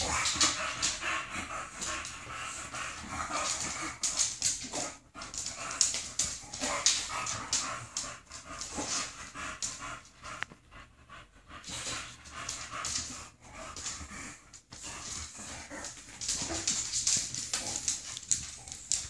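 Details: Indoor play between two female English bulldogs, one in a post-surgery cone: continuous raspy snorts, panting and wheezy grunts, fast and uneven, roughly two per second, with scuffling throughout and a short lull midway.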